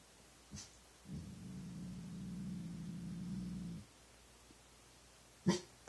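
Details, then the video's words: Dog late at night, making weird sounds at nothing: a low, steady rumbling growl lasting nearly three seconds, bracketed by two short breathy puffs. "Weird dog sounds"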